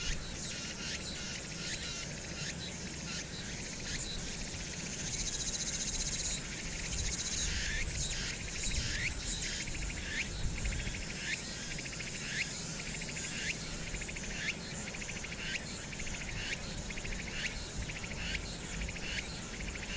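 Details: Hwangnyeongsan cicadas in summer, captured 1 August 2019 with city noise behind: an intense shrill buzz swelling in regular pulses, roughly one every half second, over a persistent low rumble.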